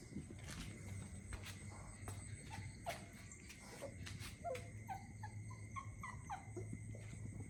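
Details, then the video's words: A puppy left at home cries with short, high, falling whines repeated in a loose series, over steady low hum and broadband background noise with clicking sounds. "Moning ateav cry #dog #crying ateav crying 😭 in home"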